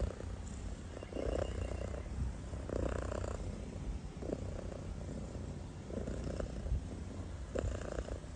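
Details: Kitten asleep and snoring: low continuous rumble with short raspy breath bursts recurring every one to two seconds.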